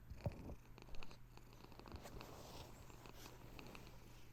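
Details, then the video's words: Soft, gentle purring from a pet cat: a steady, low rumbling drone with faint breathy pulses and a couple of small bumps early on, in a quiet indoor setting. "This Cat Purr Is Pure Therapy"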